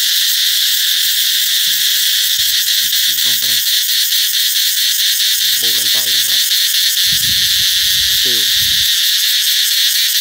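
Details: Summer-announcing cicada chorus, a dense, piercing, high electric hiss held at constant volume for ten seconds with a faintly pulsing texture; short bursts of human speech break in around three, six and eight seconds.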